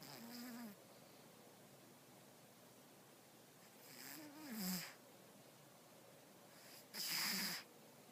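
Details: A sleeping cat named Stella snoring: three breathy, wheezy snores spaced a few seconds apart, each with a faint low tonal whistle at its end, separated by quiet pauses.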